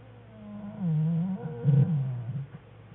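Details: A black bear cub in a winter den, February 21, 2013, as the cubs and their mother play; a low, moaning, warbling cry that dips and rises over about two seconds, deep and buzzy.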